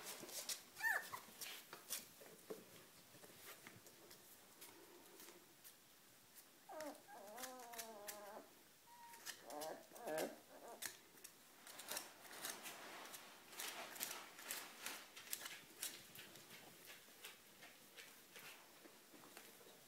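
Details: Four-week-old dachshund puppies give a few wavering, high-pitched whimpers among rustling and scratching.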